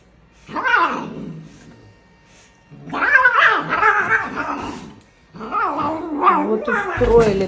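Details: Domestic cat caught in a funny, unpredictable moment, giving three drawn-out, wavering yowls that rise and fall in pitch, the later bouts longer and more strained, separated by short pauses; a person speaks briefly afterward.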